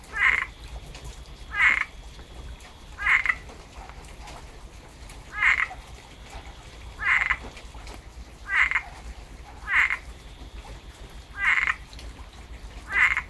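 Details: Frog song following rainfall in Tampa, Florida: nine short, punchy croaks recur somewhat irregularly every one to two seconds, each a bright nasal burst, over a quiet low-frequency drone.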